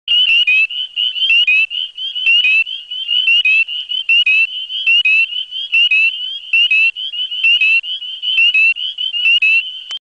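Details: Spring peepers (Pseudacris crucifer) give high, piercing, slightly rising peeps, repeated about once a second in a dense chorus.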